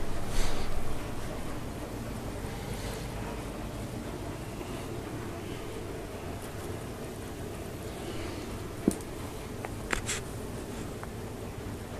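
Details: A steady low rumble, like a vehicle or motor, fills the background. A few brief clicks and knocks stand out near the end, and no animal calls can be picked out.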